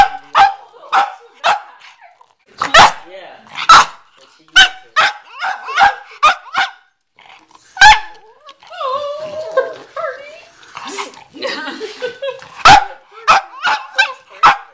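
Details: Cavalier King Charles Spaniel named McCartney barking at a watermelon in a garage, sharp barks in quick bursts, with a person talking in the middle of the clip.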